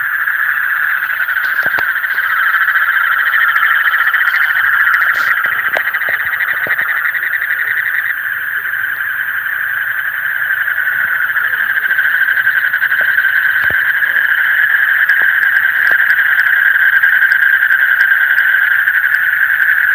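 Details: Night frogs in a steady, buzzing chorus: a high, dense trill that never pauses, with a slightly shifting overtone above and a few scattered taps in the first third of the recording.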